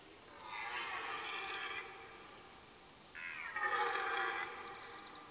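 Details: Rutting red deer hart in a forest in Mecklenburg-Vorpommern, Germany, late September: two drawn-out, harmonically rich roars, each about one and a half seconds long, the second louder and rougher, with a quiet pause between them.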